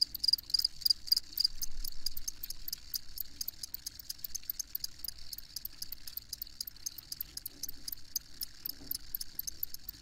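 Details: High, rapid cricket chirps repeated steadily throughout, with a brief louder trill at the start. A faint low engine-like hum sits beneath.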